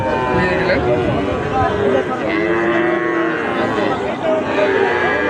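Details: Sahiwal bull calves at the Ambari livestock market, held on Fridays and Mondays, give drawn-out, low moos that bend downward, over a steady din of crowd chatter and bargaining voices.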